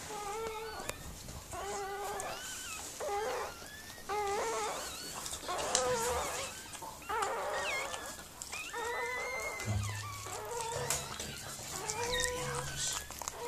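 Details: Whimpering during the birth of Mirella's Miniature Pinscher puppies: tonal, harmonic whines with slight rises and falls, repeating about once a second in short bursts, with low rumbling noise underneath.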